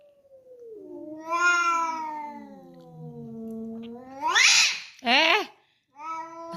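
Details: An angry, emotional domestic cat gives long drawn-out meows, the first sliding slowly downward over about three seconds, then sharp rising yowls and a shorter final meow; a woman's voice follows.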